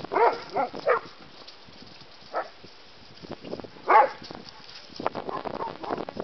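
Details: Two dogs, a terrier mix and a bulldog, learning to play; brief squeaky yelps at the start and in the middle, with quieter scuffling and low grumbles between them.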